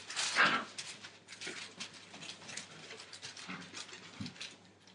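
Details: Entlebucher Mountain Dog puppies, 37 days old, from a litter born 28 December 2014: one short, sharp yelp opens the moment, then soft scuffling, rustling movement and a few faint low whimpers fill the remaining seconds.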